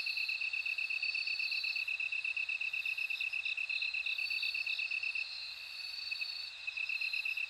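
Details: Rapid, bell-like pulses from bell crickets ring out continuously. A higher shimmering trill overlaps, fading for a moment near six seconds before the chorus resumes.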